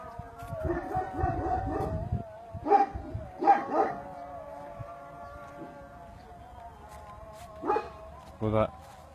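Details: Aksaray Malaklısı dogs at an Aksaray Malaklı farm give short, deep barks in scattered bursts, a pair near the middle and two more toward the end, over a faint steady hum, with Turkish speech at the start.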